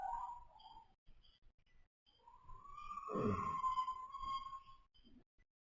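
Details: Foal pony napping: a whistling nasal note, then a long steady whistle that swells into a gravelly snore halfway through before fading to silence.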